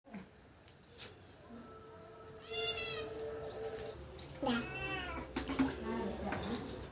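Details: Domestic cats, a tabby and a black cat that dislike each other, facing off indoors: two drawn-out, wavering yowls, the first long and rising then sagging, the second shorter, with quiet room noise and a faint voice between.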